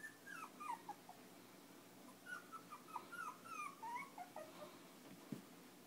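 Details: Five-week-old Chinese Crested puppies, fostered with their mother by Almost Home No Kill Animal Rescue, playing and nursing indoors; a run of high, thin whimpers and squeaky yips, many sliding downward, clustered in two bursts over a steady room hum.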